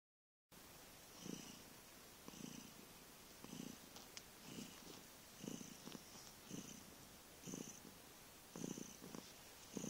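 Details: Vriendje, a cat recorded on 15 November 2011, purring enormously: rough, throaty pulses swell and fade about once a second, roughly nine breaths of rumbling purr after a brief silent start, with a faint hiss riding over each.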